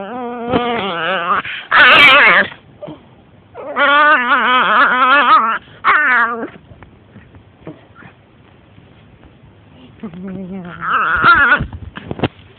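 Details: A female blue-nose Pit Bull puppy whines and yowls in wavering, drawn-out bursts, seemingly asking for something she wants; she still makes this random noise at about two years old.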